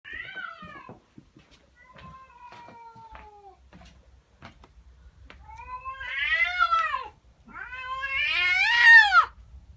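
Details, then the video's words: Female domestic cat at home in the morning, unhappy about a neighbour's cat in her garden, giving weird drawn-out wavering yowls, quiet at first and then building into two loud, strained, rising-and-falling wails near the end. "Cat doesn't like the neighbour cat. FUNNY WEIRD CAT NOISES!!"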